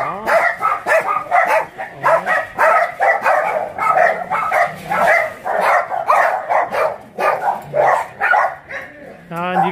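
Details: Abandoned dogs at Mindeulle Shelter, an animal shelter in Yangsan, barking together: dense overlapping sharp barks repeating roughly every two seconds, mixed with a few rising whines and a brief whine at the end.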